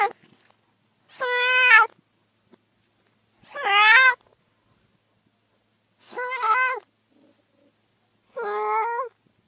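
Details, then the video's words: ['Domestic cat meowing: four drawn-out, harmonic-rich meows, each holding a steady pitch before dropping at the end, spaced roughly every two and a half seconds with quiet gaps between.'] "30 minutes of Cats' Meow"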